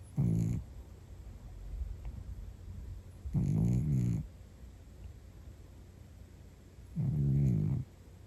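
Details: A sleeping cat snoring deeply: three low, rumbling, drawn-out snores spaced about three and a half seconds apart, each lasting under a second, with quiet breathing between them.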